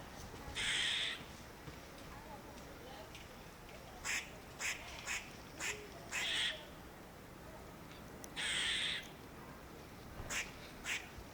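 A squirrel calls with rough, hissing bursts about half a second long, spaced several seconds apart. Quick clicking chucks come in between, over a quiet background.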